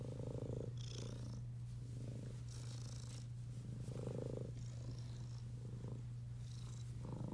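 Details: Purring Domestic Shorthair cat awaiting adoption, June 2021: an unbroken low rumbling purr holds steady from start to end, overlaid by gentle recurring breathy swishes.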